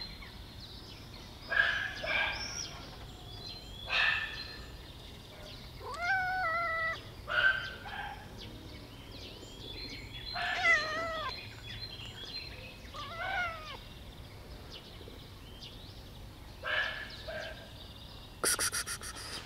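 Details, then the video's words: Black cat making several short, rising-and-falling meows scattered over twenty seconds, mixed with soft rustling and other brief noises, ending in a rapid clicking burst. "Black cat meow"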